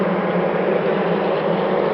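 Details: Wild-origin dark honey bees, remarkably calm and unaggressive in this season, in a top-bar hive under inspection; steady, dense low hum holding one pitch throughout.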